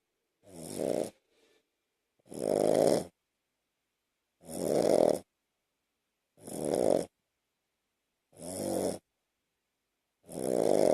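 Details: Two-year-old Shih Tzu, Lhasa Apso and Bichon mix sleeping on an owner's chest at night, snoring steadily: six raspy, breathy snores about every two seconds, each rough and rumbling, separated by clean silences.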